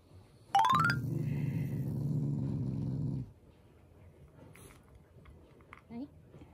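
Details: A Shiba Inu, a loving family dog, growls playfully and affectionately, not in anger: a short rising squeal opens into a steady low rumbling growl lasting over two seconds, followed by quiet shuffling noises.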